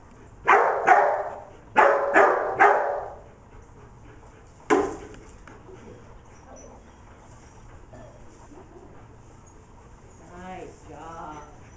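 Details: While herding sheep on 25 September 2011, Declan the dog fires off a rapid burst of four barks, pauses, then gives one more. A quiet stretch follows, ending in a faint wavering sound.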